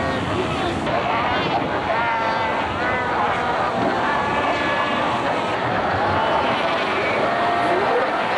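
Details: Colony of Cape fur seals, Cape Cross Seal Reserve, Skeleton Coast, Namibia, filmed in 1992 among fighting adults and pups: loud, wavering bleats and drawn-out moans overlap without pause, with occasional human speech in the background.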